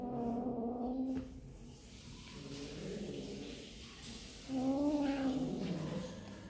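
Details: Two clear, wavering kitten meows come from kittens eating snacks, one at the start and one near the end, with quieter mewing and background noise in between.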